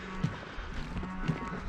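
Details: A cow, not yet calved, gives a low, droning moo in the days before Christmas, still calling for her weaned calf during feeding, over the steady mechanical hum of mobile grain grinding.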